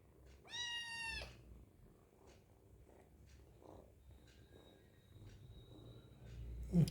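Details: Hungry kitten meowing as it eats: a single bright, tonal meow near the start, then soft rustling and low background hum, with a woman speaking quietly to the cats.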